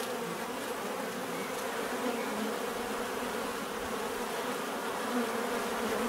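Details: Many bees in nature, a steady dense buzzing hum with layered drones near mid pitch, continuous and even in loudness, small swells as individual insects pass close.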